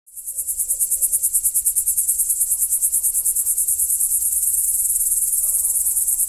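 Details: Crickets at night: a dense, high-pitched, shimmering trill of rapid regular pulses fades in and then runs continuously, with faint low rumble beneath.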